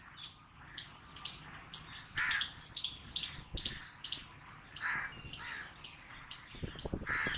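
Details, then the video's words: Squirrel barking loudly: sharp, high, clipped chirps, each with a brief lower tail, repeated roughly twice a second in an uneven series of about fifteen, with faint low background rumble. "Squirrel Barking Loud Sound"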